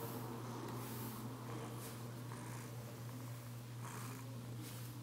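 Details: Female Bengal cat purring while being brushed indoors; a steady low rumble runs throughout, with soft scratchy brush strokes sweeping over it every second or so.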